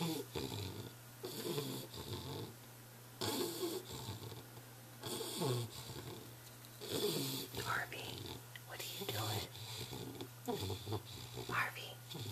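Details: An English Bulldog snores in slow, rasping breaths, with a person talking over it; recorded July 13, 2011.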